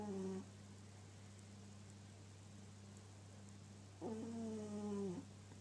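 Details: Domestic cat snoring in its sleep. A brief tonal snore ends at the start, and another drawn-out snore comes about four seconds later, over a steady low background hum.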